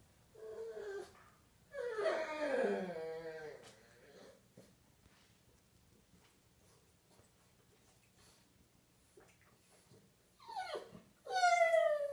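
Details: Pet pug indoors at home, playing with its favourite chicken drumstick toy and howling at its owner: two bouts of long, wavering, whiny howls with strong harmonics, the first sliding downward, the second rising sharply at the end, separated by quiet room tone.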